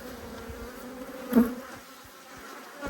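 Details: Angry honey bees flying at a beekeeper inspecting their hive in Australia: a steady background hum of many bees, with a single bee buzzing close and loud for a moment midway.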